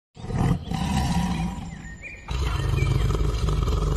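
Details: Tiger roaring: a deep, loud, rumbling roar that swells at the start, dips briefly near the middle, then resumes strongly and continues to the end.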